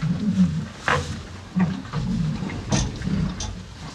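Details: Pair of farm cows feeding on hay, heard close up: deep munching rumble with soft breathy snorts and a few sharp crackling rustles of dry hay between chews.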